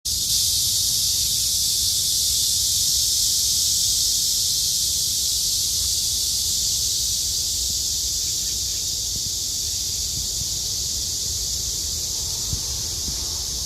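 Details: Cicadas singing in summer by the trees along Haguicheon stream: a dense, steady, high-pitched buzzing drone that holds unbroken throughout, slightly softening toward the end, with faint low rumble beneath.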